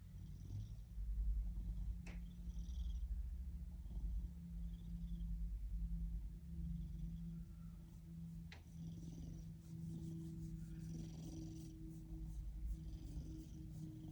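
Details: Happy Ragdoll cat's loud, close purr: a constant low buzzing drone rising and falling with each breath, broken by two sharp clicks.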